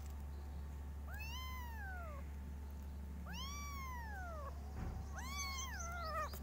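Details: Kittens meowing loudly in varied styles: three long arched meows spaced about two seconds apart, each rising then gliding down, the last more wavering, over a steady low hum.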